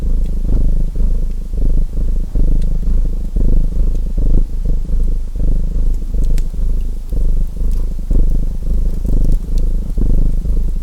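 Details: Domestic cat purring steadily, a deep rumbling pulse repeating about every second, mixed with the sharp crackles and pops of a burning fireplace.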